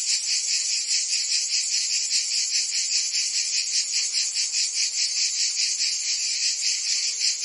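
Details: Chorus of cicadas on a summer day in Provence, France: an intense high buzzing wall of sound with slower, rolling pulses about once per second layered over the constant drone.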